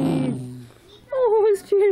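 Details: Ruby, a pet Cavalier King Charles Spaniel having a bad day, whines indoors while being given kisses: two wavering, high nasal whines, the second shorter, after a woman's voice.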